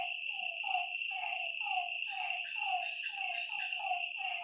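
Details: Lakeside frogs at night: clear, repeated croaks that slide downward, roughly two per second, some stacked in quick pairs. A steady, piercing insect trill runs throughout.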